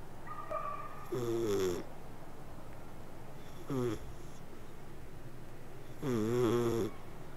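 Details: A domestic cat purring or snoring while asleep indoors: low, rumbling harmonic breaths in long bursts, repeating about every two to three seconds, with quiet gaps between.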